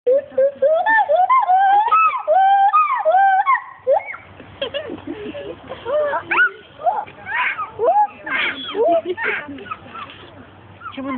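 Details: Paul, a captive male agile gibbon at Monkey World, gives a rapid run of loud whooping notes that swoop up and down, each with bright overtones, for about four seconds. Human voices and chatter then take over.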